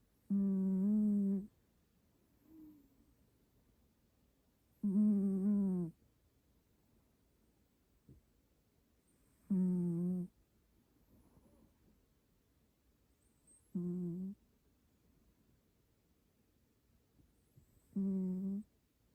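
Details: Pet cat named Mandu snoring indoors: five deep, buzzy, harmonic snores, each about a second long, coming every four to five seconds with near-silence between them.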